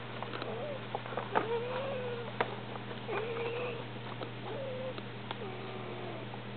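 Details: Domestic cats, a peach and cream Persian male and a half-Persian half-Munchkin female, indoors while breeding: soft drawn-out wavering moans repeated several times, each about half a second, over steady electrical hum, with a brief human voice.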